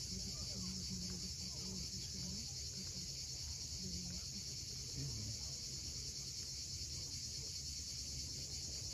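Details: Continuous shrill droning of cicadas at sunset at Cape Fiolent on the Crimean coast, an unbroken high buzz layered over the deep wash of sea waves, with faint short bird notes in the background.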